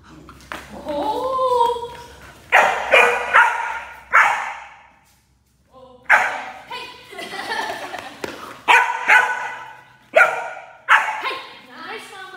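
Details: Enya, a German Shepherd puppy, in a protection training session introducing her to barking; sharp barks come in short bursts, several in quick succession, separated by pauses, with a human voice speaking between and over them indoors.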